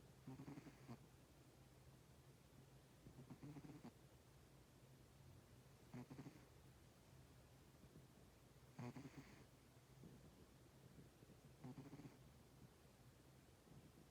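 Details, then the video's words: Sleeping cat snoring softly, a breathy rasp with a low rumbling tone repeating about every three seconds in a quiet room. "Snoring cat!"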